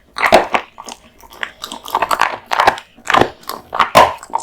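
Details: American Bully dog Kotetsu, male, eating raw meat and bones: separate wet crunching bites roughly every half second, each a short smacking burst, with quiet gaps between.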